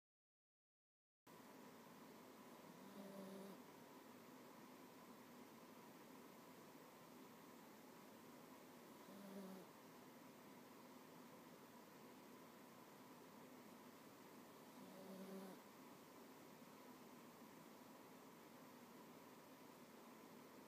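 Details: Domestic cat snoring softly while asleep on a person's lap indoors; a faint, low, humming snore rises about every six seconds, three times, under steady background hiss.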